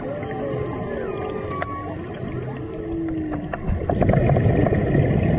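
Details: Humpback whales heard underwater on a March dive near Maui, singing close by: long wavering and rising moans and a drawn-out whoop, then a burst of crackling clicks and rushing noise as bubbles and water swell.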